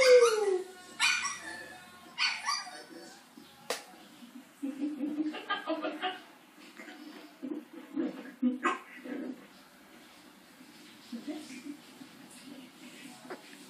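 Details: A French Bulldog watching TV gives a falling whine and a couple of sharp barks, then people talk over faint music.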